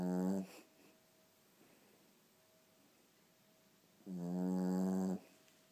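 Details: Pugalier puppy asleep and snoring very loudly: deep, harmonic, buzzing snores about a second long, separated by a quiet pause of roughly three and a half seconds.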